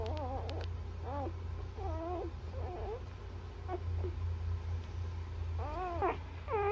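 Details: Newborn Labrador Retriever puppies feeding from their mother utter arched, whining cries in short bursts separated by pauses, above a steady low drone.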